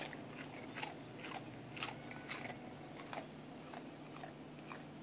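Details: Fat Shiba Inu eating a rice cracker with relish: crisp, irregular crunching bites about twice a second, each a short bright crackle, over a steady low electrical hum.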